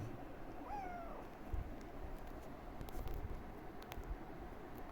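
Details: Affection-seeking house cat, climbed up onto a perch, gives a single brief descending meow early on, thin and harmonic-rich against continuous low-pitched background rumble and faint clicks.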